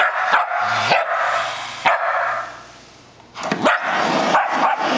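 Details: Sheltie barking at the floor vacuum it dislikes, sharp yelping barks rising in pitch, a few in a row then a pause, against the constant whine of the vacuum motor.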